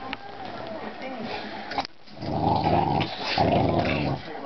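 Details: Two young dogs play-fighting and mock-biting: after a quieter, scuffling start, loud gravelly growling swells in two sustained rumbling bursts, harsh and snarling yet playful.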